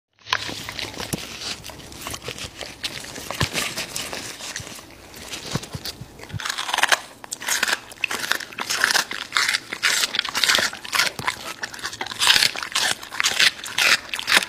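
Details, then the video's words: American Bully dog eating raw meat, with dense wet crunching and biting in irregular bursts, growing louder and sharper after the first six seconds in a small indoor room. "Dog eating Raw Meats!Omnibus 【American Bully】"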